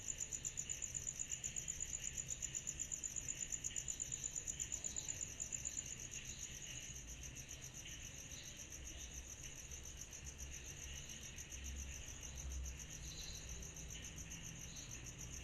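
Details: Cicadas calling on a summer night: a dense insect chorus of rapid, even high-pitched pulses, strongest in the first six seconds and then softer, with a soft shimmering hiss and a low steady rumble underneath.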